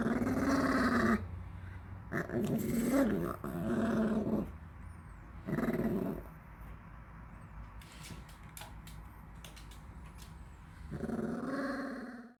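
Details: {'text': 'Elderly dog, thirteen years old, waiting for its favourite homemade treat, lets out several grumbling growl-moans of one to two seconds with wavering pitch, then goes quiet apart from a few light clicks before a final growl.'}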